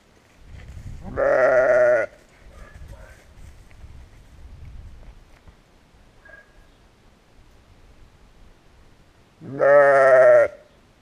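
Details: Two loud, quavering sheep bleats, each under a second, open and close a stretch of soft low rustling and faint movement, captured on a GoPro Hero.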